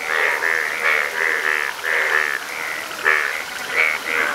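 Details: Yellow frogs calling in Nepal: a run of short, nasal, harmonic croaks from several overlapping frogs, closely spaced and briefly pausing near the middle before resuming with louder single notes.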